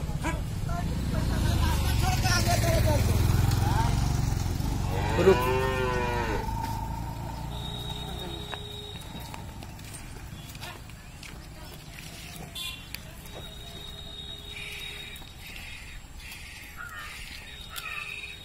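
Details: Dairy cow in Bihar, India, described as giving 35 litres of milk: a deep low moo at the start followed by a brief higher harmonic call, then farmyard background with faint voices and clanks.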